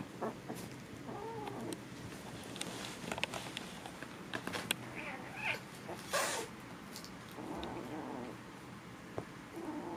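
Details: Foster kittens wrestling, giving odd short mews and squeaky cries scattered among thumps and scuffling noises in a quiet room.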